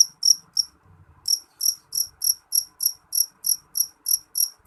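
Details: Shrill jeliteng cricket song: quick high-pitched chirps, a short pause after the first few, then a regular run of about three chirps per second, with faint low background noise.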